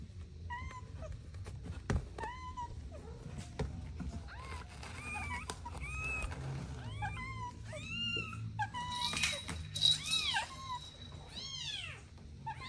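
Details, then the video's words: Kittens at play with their mother and two siblings: many small overlapping meows, thin and arching, growing busier toward the end over a low rumbling background. "Adorable Kittens Playing with Mom & Two Siblings | Soft Meows"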